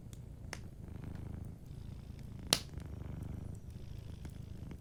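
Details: A cat sleeping by a fireplace purrs softly and continuously in a low, pulsing rumble. One loud crackle from the fire stands out near the middle, with smaller clicks scattered around it.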